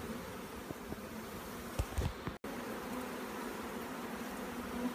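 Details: Honey bee swarm clustered on a grape vine in a backyard near an apple orchard, recorded July 22, 2015: a dense continuous low hum of many bees, steady throughout, with a few soft knocks and a brief dropout midway.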